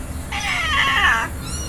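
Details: Husky giving one drawn-out, strained vocal whine of about a second, rich in harmonics, rising slightly and then falling away, with soft background music running underneath.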